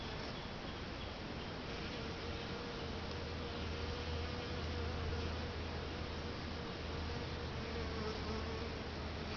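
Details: Swarm noise from bees inside a bait hive, lured by sugar water and lemongrass oil set out two days earlier: an unbroken busy drone, a wavering mid-pitched hum and a low steady rumble underneath.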